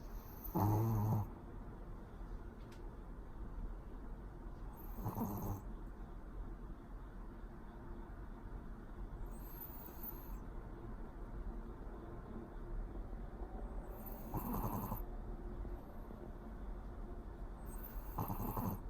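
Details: A sleeping Pomeranian named Pori snores indoors: broad, breathy rasps recur roughly every four to five seconds, each lasting about half a second, over a low steady room hum.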